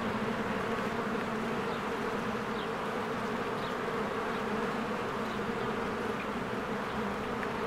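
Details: Bees swarming in and out of their hive on a spring day of blooming flowers; thick constant hum of many wings, dotted by small rising bird chirps in the middle.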